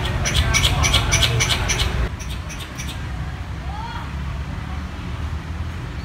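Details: A squirrel in an urban setting, calling for a mate, gives a quick run of sharp, clicking chatter notes over steady traffic rumble.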